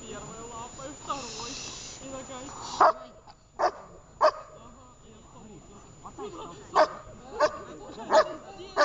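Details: Shepherd dog during a training session in Horlivka on 6 June 2021; after a woman speaks Russian, about seven short, sharp single barks ring out at irregular intervals over several seconds, with quiet talk underneath.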